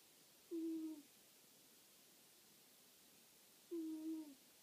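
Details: Rufio, a sleeping domestic cat, snoring: two low, steady, humming snores, each about half a second long, come roughly three seconds apart with quiet breathing pauses between them, in a hushed indoor room.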